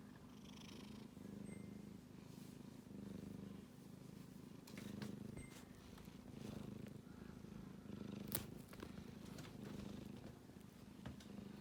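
A sleeping kitten snores in soft, low, rhythmic pulses, much like a gentle purr.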